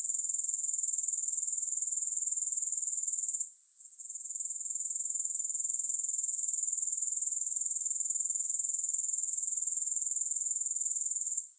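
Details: Sustained high grasshopper trill with a regular pulse near four per second, a brief gap partway through, then steady chirring again to the end.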